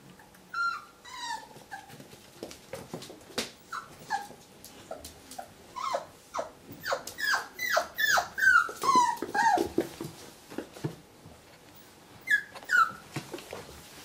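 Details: Whippet named Muffin, indoors, reacting to its own reflection in a mirror: a run of high, sliding whines and sharp yelps, often falling in pitch, coming in quick bursts that grow busier in the middle, then a final pair of whimpers.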